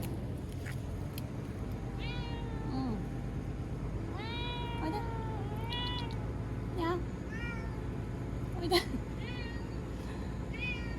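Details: Frightened TNR cat Chanta, formerly Nyaa, crying and thrashing after capture, kept in a bathroom during Typhoon No. 10, September 2020; a run of repeated, drawn-out, wavering meows, some rising then falling, over low rumbling background noise.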